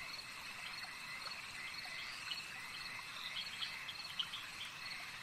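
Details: A chorus of frogs at a lake keeps up a continuous high, buzzy trill, with a handful of sharper chirps toward the end rising briefly above the steady calling.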